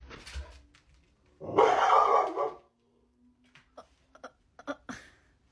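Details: A pet dog indoors lets out a single loud, rough bark-like burst lasting just over a second, then the small room falls quiet apart from a few soft clicks and knocks.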